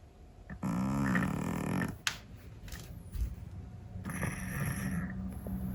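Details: Sleeping Scottish Fold cat snoring indoors: one loud, buzzy, low rasping snore lasting just over a second, followed by softer breathing, a sharp click and faint rustling as the snore fades into quieter, hissy exhalation.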